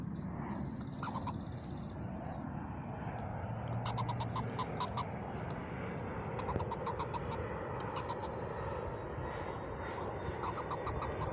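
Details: Mama Squirrel, a mother squirrel at a new spot, voicing short groups of dry, ticking pulses every couple of seconds over heavy rumbling, engine-like background noise, with a faint thin whistle early on.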